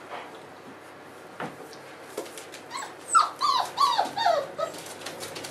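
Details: Four-week-old Boerboel pups with their mother Aston indoors give a run of high, bent yelps and whimpers, rising then falling, several in quick succession over the last two seconds after a quiet start with a few faint squeaks.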